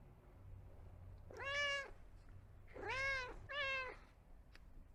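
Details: A pet cat gives three drawn-out meows, the first alone, then two close together, each a rich harmonic call arching up and down, over a low steady hum.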